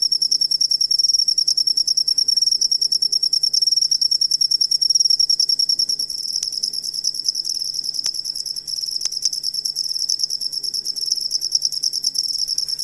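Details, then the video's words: Cricket trill for teaching cage songbirds, a sharp high pulsing chirp repeated quickly and evenly, growing quieter after six seconds, with a few faint clicks and a low background hum. "Asli Ampuh Suara Jangkrik Buat Masteran Burung Kicau"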